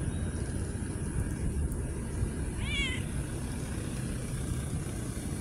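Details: Street cat giving a single short, bright meow midway through, slightly wavering in pitch, set against a constant low rumble of outdoor background noise.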